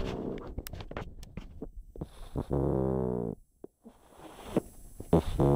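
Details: Chip, a pet pug, snoring while asleep indoors: rough, rumbling breaths broken by a sustained buzzing, harmonic snort lasting under a second, then a short quiet gap and more snuffling bursts.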